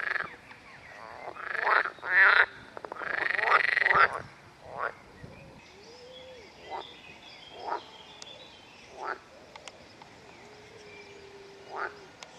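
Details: Edible frog (Pelophylax kl. esculentus), a fertile hybrid of pool and marsh frogs, in Rose Park, Chorzów, gives loud, rattling, quacking croaks in bursts, followed by softer scattered clicks.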